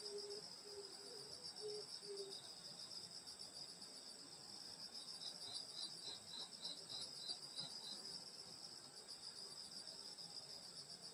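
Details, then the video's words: Summer night insects in the countryside at a grandmother's home in Korea, high layered cricket trills throughout, with a brief lower chirping series in the first two seconds and pulsed beats midway. "여름소리 풀벌레소리 시골밤소리"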